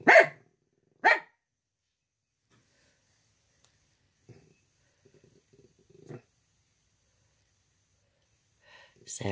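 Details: Ruby, a female miniature dachshund in North Carolina, urged on to get him; two sharp loud barks a second apart open, then quiet low grumbles, another bark near six seconds, and a person's voice speaking at the end.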